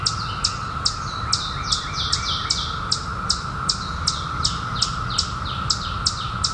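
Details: Periodical cicadas emerged in 2021 following 17 years underground fill the air with a constant steady drone, broken by quick repeated high-pitched chirps about two and a half each second and a soft low background rumble.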